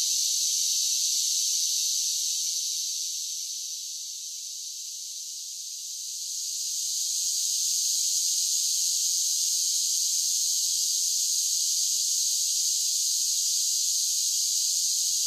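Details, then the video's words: Summer cicadas keep up a high, droning buzz that sags quieter for a couple of seconds near the start, then swells back to full strength and holds steady to the end. "10 Hours of Cicada Sounds for Relaxation with Soothing Summer Nature Sounds"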